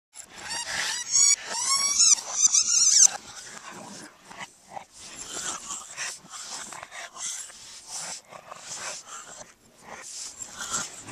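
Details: Two Boston Terriers, long-time companions, chasing each other in play; a burst of high, whiny, sweeping yelps in the first three seconds, then quieter scuffling and panting-like rustles for the rest.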